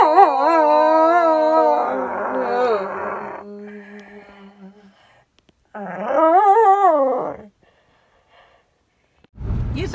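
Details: Sophie, a pit bull living in an RV, howls on her birthday: drawn-out, wavering harmonic howls, a long one at the start and a rising-then-falling one later, between bursts of birthday music and a brief sharp noise at the end.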